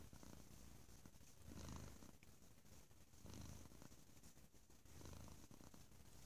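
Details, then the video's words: A pet cat purrs loudly, a deep continuous rumble swelling and fading about every one and a half seconds, steady and close, in a quiet room. "Bo Is Quite the Loud Purrerer"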